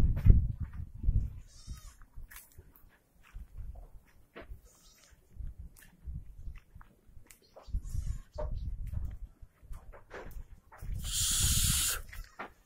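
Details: Osmanabadi goats at a stall-fed goat farm, short bleats scattered through the recording among thumps and shuffling, with a loud burst of broadband noise near the end.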